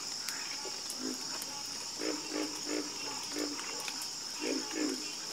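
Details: Croaking frogs give short, low, evenly spaced notes in twos and threes under a continuous high-pitched background drone.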